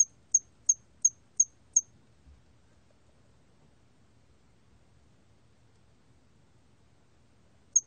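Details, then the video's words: Hairy cricket producing a short run of five quick high-pitched chirps at an even pace, then a long silent pause before one more chirp at the end. "털귀뚜라미, 여러번 듣기, 곤충소리"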